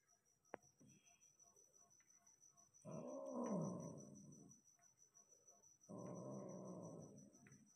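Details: Persian cat during mating, giving two long, rough, growling yowls, the first bending downward in pitch, separated by a few seconds of quiet; a steady high-pitched whine runs underneath throughout.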